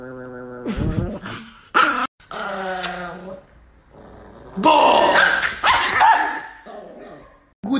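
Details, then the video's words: Angry Chihuahua indoors snarling with short sharp yips and barks between stretches of tonal growling, louder noisy bursts in the second half, and a person's voice faintly present. "The most Angry Chihuahua in the world"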